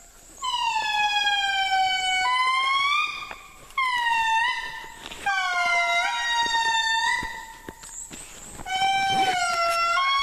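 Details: Wild endangered indri lemurs calling on their island home after a guide played a recording of their song; piercing, loud wailing notes held for seconds, rich in overtones, sliding gently up and down, several voices overlapping with brief pauses between bursts.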